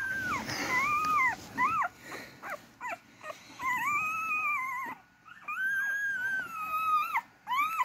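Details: Beagle puppies crawling toward their mother to feed; high, arched whining squeals, each rising then falling, repeated in quick runs with short gaps, some longer drawn-out cries.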